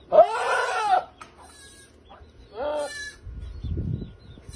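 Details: A male goat chases a female to mate. Two quavering bleats sound, a long one near the start and a shorter one a couple of seconds later, followed by low thumping noise.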